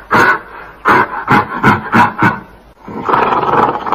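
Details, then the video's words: Gorilla voice: a series of short, rough grunting bursts repeated about every third of a second, then a longer, sustained harsh roar at the end. "Suara GORILA"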